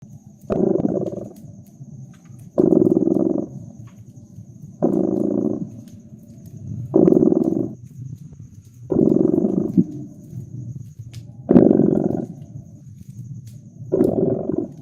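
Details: Domestic cat purring beside a crackling fireplace in a cozy winter setting: low, throbbing rumbling bursts about a second long, returning roughly every two seconds with each breath, with faint sharp fire crackles and a thin steady high hiss.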